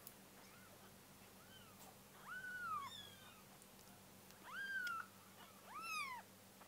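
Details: Hungry kitten at a church giving drawn-out meows that bend down in pitch, three clear cries spaced about two seconds apart over a steady low hum.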